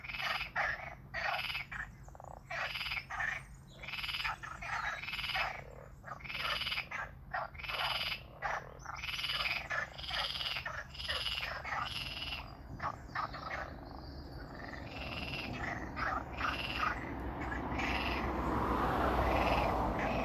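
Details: Strange frog noises with water: quick rattling croaks, about three per second, irregular and overlapping, fading into a rising wash of broadband noise over the final seconds, with a low hum throughout.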